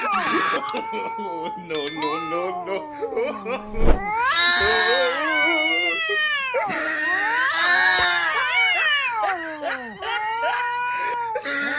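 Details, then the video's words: Angry cat caterwauling in long arching, wavering yowls that rise and fall in pitch. Several drawn-out wails follow one another with brief pauses, and sharp clicks and thumps sound in between. "Angry sound of Cat (বিড়ালের কান্ড )"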